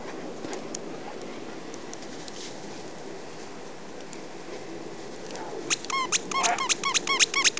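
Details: Puppies playing with their mother in snow on 17 January 2008, a burst of rapid high-pitched yips and whines near the end after a person calls them and offers a treat, over steady outdoor background noise.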